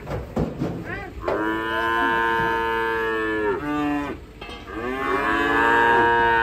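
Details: Agitated cattle raging while being unloaded from a truck, bellowing two long, loud moos with rich, steady harmonics, each lasting about two seconds, over faint background music.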